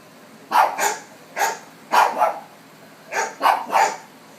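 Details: Pet dog barking at dogs on a television, giving sharp barks in pairs and singles, six in all, spaced irregularly about half a second to a second apart, clear and close.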